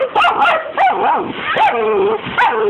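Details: Pet dachshund, excited by hose water spraying a window, lets out a run of high whining yips with rising and falling pitch, several overlapping in under three seconds, while a person keeps exclaiming in the background.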